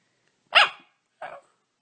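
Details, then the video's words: A talkative pet dog indoors gives two short barks about half a second apart, the first louder and sharper, the second softer and briefer, with silence around them. "Talkative dogs"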